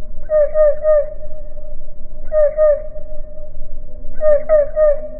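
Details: Cricket stridulation played in slow motion: drawn-out tonal pulses in sets of three with faint overtones, each set arriving roughly every two seconds over a steady low hum.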